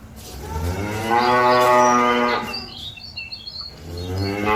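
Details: A cow moos to call its companions back to the pen: one sustained, rich moo swelling and fading over about two seconds, a second beginning at the end, with bird chirps behind.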